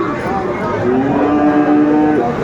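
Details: At the Aftabganj cattle market in Dinajpur on 17 April 2024, among Friesian and crossbred bull calves, a long flat moo holds steady for over a second amid background chatter and traffic.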